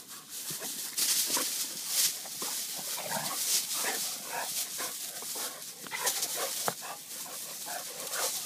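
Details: Playing Vizsla making brief throaty grunts and snorting growls, clustered and uneven, over a bright hissing background with occasional sharp knocks.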